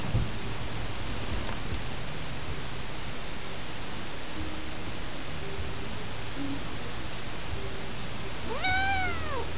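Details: Male pet cat play fighting indoors with his owner gives one short meow near the end, rising then falling with clear harmonics, over a steady low hum.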